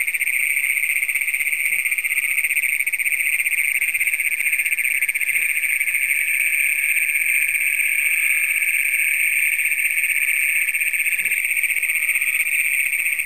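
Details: Nighttime chorus of Great Plains toads in Brown County, Minnesota, June 27, 2010, the first documented there, taped on a Canon Power Shot: one long shrill buzzing trill runs continuously, with faint softer calls beneath.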